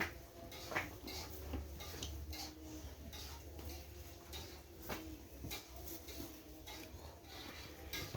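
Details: Irregular metallic clinks and clatter over a low hum, like dishes and cutlery being handled; no animal voice stands out.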